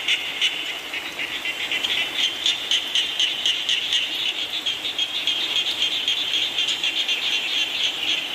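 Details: Rain-soaked frog chorus for lulling to sleep, with rapid staccato croaks in quick bursts around four per second, layered over a continuous shrill hum and soft rainfall noise.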